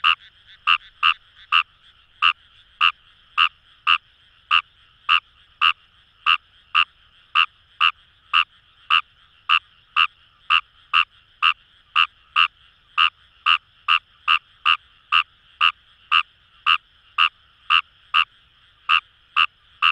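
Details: Long run of croaks from wild Fejervarya kawamurai in Itoshima's Kamo River paddy fields, Fukuoka, Japan: rapid rasping notes repeated about twice a second, sometimes in close pairs, with a low hum of distant callers behind.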